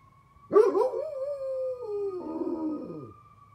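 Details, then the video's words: Great Pyrenees dog howling along with a passing fire truck siren, trying to match its tone: a loud howl that starts high, then slides slowly downward over about two and a half seconds against a steady wailing siren. "Great Pyrenees howling at a fire truck siren!"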